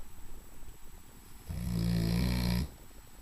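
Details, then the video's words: Tank, a large sleeping English Mastiff, gives one long, low, rumbling snore lasting about a second, rough and droning with a buzzy fluttering texture, preceded by quieter soft breathing sounds. "Tank the Snoring Mastiff"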